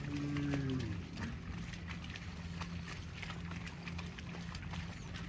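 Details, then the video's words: Cow running in the fields: one short, low, harmonic moo, sliding slightly downward, in the first second, then only rumbling field noise with a steady low hum underneath. "COW SOUND - COWS FUNNY MOOING SOUNDS RUNNING IN THE FIELDS"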